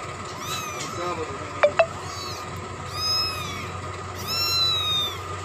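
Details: Kitten drinking milk gives three high, thin meows, each a short arching cry that rises then falls, with two sharp clicks between the first and second, over a low steady hum.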